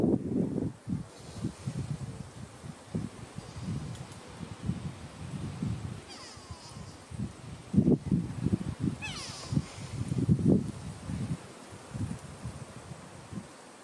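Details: Adult male lion at Karongwe Game Reserve grows angry and warns his cub after it pulls his big black mane. Low, rumbling growls come in short bursts, peaking around eight and ten seconds, with rustling in between.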